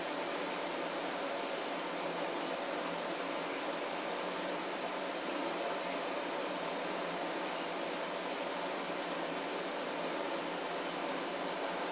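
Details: Steady broadband hum, like an air conditioner or fan running in a small room, continues unchanged throughout with no animal voice.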